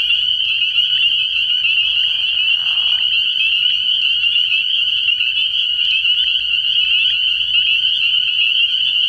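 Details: Early-year spring peeper chorus from a frog pond at night: countless piercing peeps run together into a steady, ringing high drone, with one short lower raspy burst near the start.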